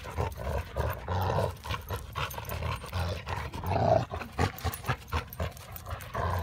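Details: Hildy (yellow) and Harvey (chocolate), two dogs roughhousing good-naturedly over a tennis ball, trade deep rolling growls broken into choppy bursts, with panting and scuffling between.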